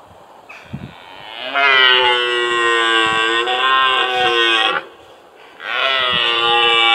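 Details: Red deer stag at Tatton Park, Cheshire, ready for the rutting season, gives a long, loud, harsh drawn-out roar lasting about three seconds, then a second roar begins after a short pause.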